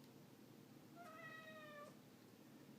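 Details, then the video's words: Ragdoll cat meowing: a single drawn-out, steady-pitched harmonic meow lasting almost a second, tailing off slightly at the end, over a low background hum. "How Many Times Does Ragdoll Cat Charlie Meow in a Minute?"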